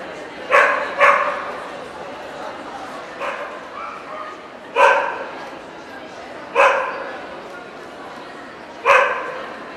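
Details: Barking at an Ostrava dog show, 14 April 2012, where Welsh Corgi Cardigans and Pembrokes were shown: a quick double bark opens, followed by single loud barks about every two seconds against background chatter.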